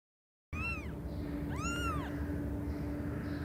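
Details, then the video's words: A cat making a funny sound: two clear, arched meows, each rising then falling, the second longer and fuller, about a second apart, over a faint steady hum. "Funny Sounds Cats Make"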